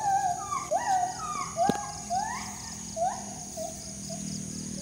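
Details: A forest monkey heard near a house in the morning, its frightening cries startling the household: quick rising, swooping whoops in an uneven series, one sharp knock partway through, and a steady high-pitched hiss underneath.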